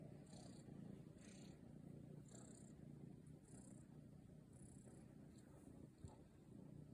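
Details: Munchkin cat with short legs kneading the air while purring in a continuous low rumble, broken by soft periodic ticking and a brief click near the end.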